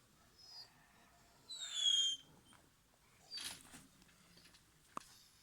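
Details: An 11-week-old German Shepherd puppy, playfully attacking, gives a brief, very high, squeaky whine, then a longer shrill squeal, followed by a rough scuffle and a sharp click in a quiet room.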